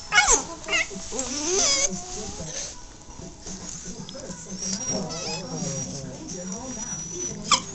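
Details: Puppies playing and wrestling, making weird sounds: a string of high, wavering whimpers and squeals with yips, rising and falling, plus scuffling noises and some human voices.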